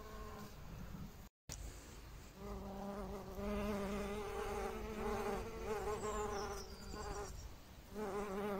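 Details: Honey bees visiting flowering phacelia and mustard on a raised bed, where tomatoes are intercropped with lettuce, make a steady, low droning hum with rich overtones that swells and wavers, with a brief break near the start.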